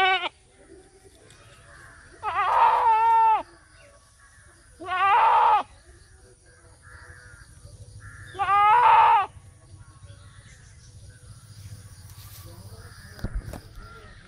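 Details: An Indian goat gives three loud, wavering bleats, each lasting about a second, with quiet pauses between.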